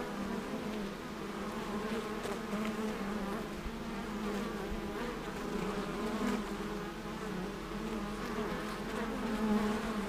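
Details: Many bees busy at an apiary fill the air with a continuous low hum, a dense buzzing swarm whose pitch wavers slightly while single insects pass closer and fade throughout.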